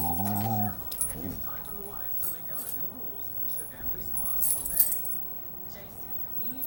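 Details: A female Siberian Husky "talking": a short, low, harmonic moaning vocalization in the first second, followed by quieter grumbly murmurs and small clinks in the background.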